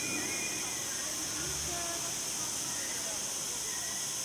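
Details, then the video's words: Mallorcan cicadas chirping in the Punta Cana Resort garden, 31 August 2019, as a continuous shrill hiss held at even loudness throughout, with faint low murmurs in the background. "Mallorca Zikaden Zirpen Cicadas"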